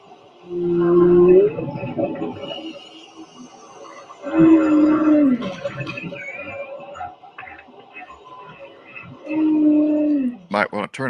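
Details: A male humpback whale sings: long, low moaning tones that slide and waver, repeated in phrases; only male humpbacks sing.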